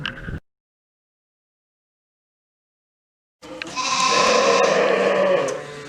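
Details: Sheep bleat in a wavering, nasal chorus after a brief silence, many animals calling together in the background during an animal science lab demonstration on catching sheep with limited stress.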